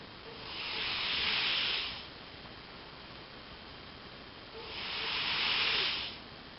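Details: Elvis, a pet cat, snoring while asleep: two long, airy, hissing breaths, each swelling and fading over about a second and a half, separated by quiet pauses.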